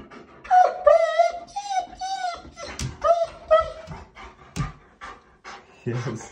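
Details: German Shepherd vocalising at shower time, indoors in a small room: a run of high, wavering whines and yodel-like moans with harmonics, broken by short pauses, mixed with human speech.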